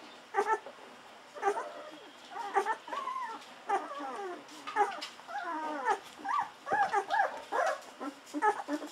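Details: Fourteen-day-old Golden Retriever puppies feeding hungrily on bottled milk; a run of high, wavering squeaks and whimpers, each lasting under half a second and repeated almost every second, some bending upward like guinea pig squeals.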